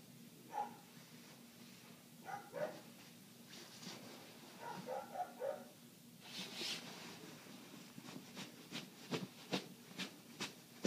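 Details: Neighbouring dog barking for eight straight minutes, heard through closed windows from inside while clothes are folded: dull barks spaced a second or two apart, then rustling and crisp ticking sounds from the room.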